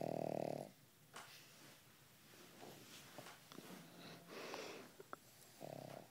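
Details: Sleeping pug snoring softly indoors: one rasping snore at the start, then a long quieter stretch of breathy rustles and sniffs before a second snore near the end.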